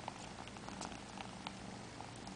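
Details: Four-month-old male Siamese kitten sucking on fingers as he gets ready to sleep, purring in a steady, low, continuous rumble with faint soft clicks.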